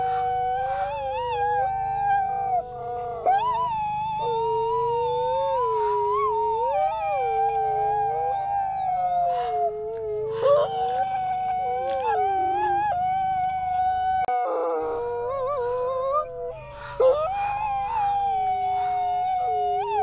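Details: Alawa and Nikai, captive-born brother and sister Canadian/Rocky Mountain gray wolves at the Wolf Conservation Center in South Salem, NY, howling together; two long, overlapping tonal voices weave, rising and falling against each other, sustained throughout with brief breaks.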